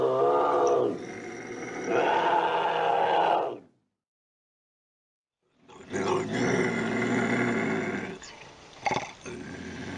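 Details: Bobcat growling, intended to keep raccoons and rodents away: harsh, raspy, rumbling growls with a rough buzzing texture, one burst lasting about three seconds, then near silence, then a longer gravelly growl with a few sharp clicks near the end.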